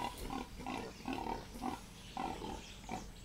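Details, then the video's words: Mother wild pig in a forest warning off a Boerboel dog that wants to play, giving rhythmic grunts roughly every half second, steady and clear. "Boerboel vs wild pig - endgame!"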